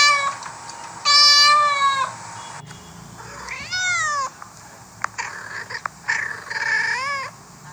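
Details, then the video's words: Cats and kittens meowing: three drawn-out meows, one rising then falling, spaced by quieter stretches with faint clicks and rustling. "cats and kittens meowing"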